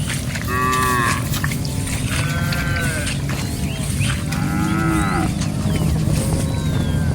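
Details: A herd of cows roaming and grazing in a rice field gives several drawn-out, harmonic moos spread across the recording. Small birds chirp high above, and a steady low rumble runs throughout.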